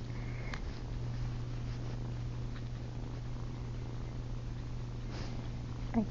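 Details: Ollie, a female kitten, purring steadily at night while trying to nurse on her owner's chin; a low continuous hum runs throughout, with a soft click near the start and a faint squeak at the end.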